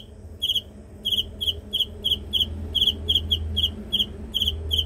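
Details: A cricket chirps in high, buzzy pulsed bursts after a short quiet start, repeating irregularly two to three times a second over a noticeable low rumbling background noise.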